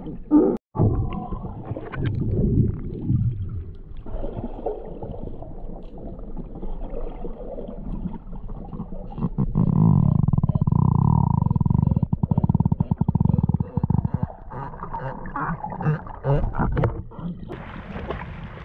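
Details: Galapagos sea lion, Zalophus wollebaeki, with low rumbling, roaring vocalizations, a sustained deep moan in the middle and rough bursts at start and end.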